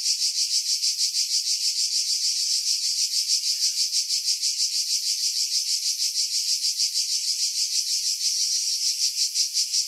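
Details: Cicada chorus among pines above Pefkos Bay on Skiros, Greece, July 2018, recorded on a Sony RX3 with external mic; continuous shrill rasping drone with steady rapid pulsing, wind buffeting removed by filtering.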